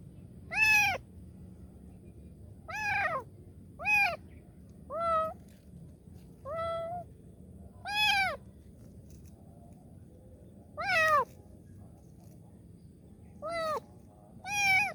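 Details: Kitten asking for help, a series of about ten short arched meows, some brief and sharp, others softer and lower, coming every one to two seconds over faint steady background noise.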